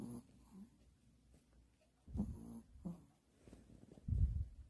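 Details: Small Pomeranian asleep and snoring, with a rough, throaty snore after two seconds, a lighter one near three seconds, and a deeper rumbling snore closing the moment.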